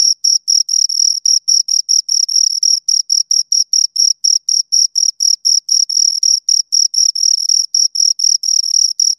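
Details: Pair of crickets stridulating close up: rapid, evenly spaced high-pitched chirps, roughly four each second, with a thin overtone above and no other sounds.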